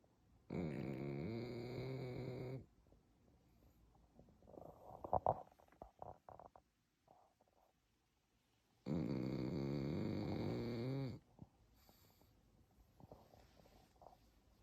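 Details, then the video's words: Sleeping Pekingese snoring: two long, low, rasping harmonic snores of about two seconds each, separated by a quiet stretch of faint rustling and small clicks. "페키니즈 코골이 현실, 우리 아빠인줄"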